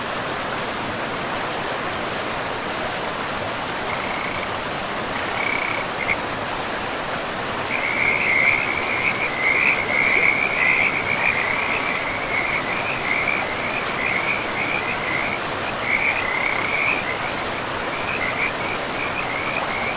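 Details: Frogs by a river in a pristine, moss-covered forest. After a few seconds of steady rushing water, a chorus starts: rapid, rattling high-pitched pulses in bursts, growing louder and nearly continuous midway before thinning into separate bursts.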